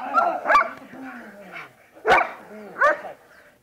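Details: German Shepherd in protection training: a few sharp, loud barks separated by pauses, with a thin falling whine between them.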